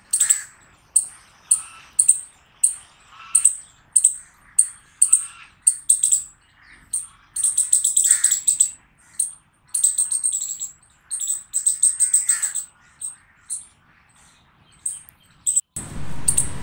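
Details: Chipmunk chirping: sharp, high chips repeated about twice a second with a lower, breathy undertone, growing into quicker runs midway, then pausing, ending with a brief burst of low rumbling noise.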